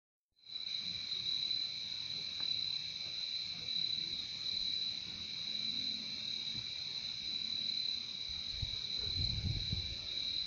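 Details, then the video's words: Crickets in a steady, unbroken chorus: a dense, shrill trill holding one high pitch with a fainter lower band beneath, continuous throughout, over soft low background rumble. "Relaxing sound of crickets"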